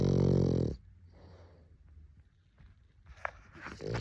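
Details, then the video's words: Sleeping French Bulldog snoring, recorded a year earlier: one loud, rough, low, buzzy snore lasting under a second, followed by quiet breathing and faint soft rustles indoors. "#フレンチブルドッグ #frenchbulldog #愛犬 #いびき #おやすみなさい"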